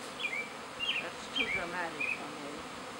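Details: Honey bees from an overcrowded backyard hive swarming in spring with a new queen toward a second hive; a soft, even hum of wings under four short, bright, descending bird chirps.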